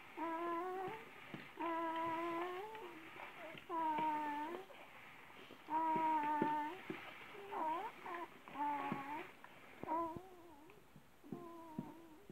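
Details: Around December, a Great Dane mother of 11 puppies fond of watermelon: sustained, wavering nasal whines held about a second each, repeated roughly every two seconds with brief gaps, in a small quiet room.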